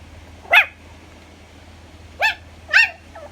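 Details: Pomeranian puppy giving three short, high-pitched yipping barks, one alone and then a quick pair about half a second apart, over a quiet background with a faint low hum.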